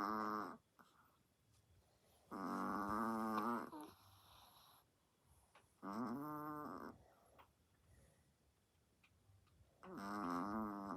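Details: Sleeping pet Chihuahua snoring indoors, a second Chihuahua snoring loudly as well: four drawn-out, wheezy, tonal breaths with stacked harmonics, each lasting about one second, spaced roughly three to four seconds apart, with quiet breathing between.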